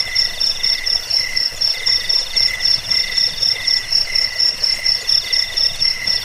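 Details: Cricket song for repelling rats, sleep and bird training: sharp, high-pitched chirps repeated roughly twice a second in an even rhythm, backed by softer continuous trills from further crickets.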